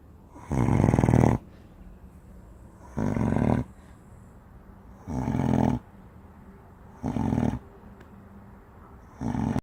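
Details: Giant Spanish Mastiff dog sleeping and snoring: five rumbling, rasping breaths about two seconds apart, the first longest, later ones shorter, with faint quiet between.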